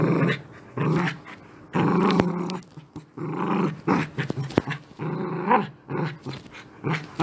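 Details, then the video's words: Angry Beagle growling indoors: a low, rough, rumbling growl in bursts of one to two seconds, rising into snarling peaks with short yips, over room noise. "ANGRY BEAGLE SOUNDS"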